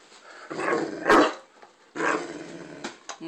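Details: Male Great Dane, angry that his bone isn't good enough, gives drawn-out grumbling growls around a single sharp bark, then another long growl and a short yip indoors.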